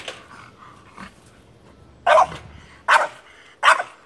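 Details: French Bulldog barking at a squirrel after it escapes: three loud, abrupt barks under a second apart near the end, after quieter sounds and faint low rumbling at the start.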